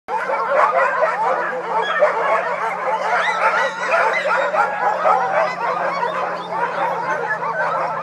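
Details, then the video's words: Sled dogs singing together: a dense, continuous chorus of many overlapping wavering howls and high yips, rising and falling without pause, with a steady low hum underneath throughout. "Singing Sled Dogs"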